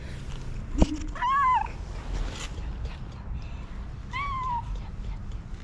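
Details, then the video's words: Two domestic cats, one pregnant, meowing for food; two drawn-out falling meows about three seconds apart, with a sharp knock early and soft background hum. "asking me for food with their cutest meows"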